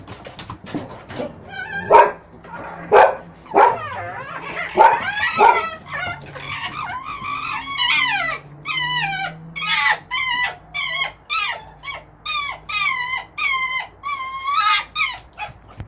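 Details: Two red foxes playing and fighting with each other; a long run of shrill, wavering, cackling yelps and whines with rising-and-falling pitch, given in quick bursts about once a second, with a low growling undertone in places.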